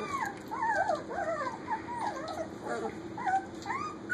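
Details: Kitchen play among puppies almost four weeks old: continuous high, wavering whines and squeaks with looping up-and-down slides, several voices overlapping over a steady background hum.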